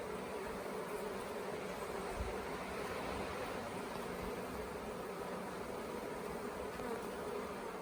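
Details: Late-year swarm of honey bees on hotel property, Tamarind Tree Hotel, during capture into a nuc box: a thick, even humming drone with a steady low-pitched tone running throughout, no voices, like a constant wash of wings.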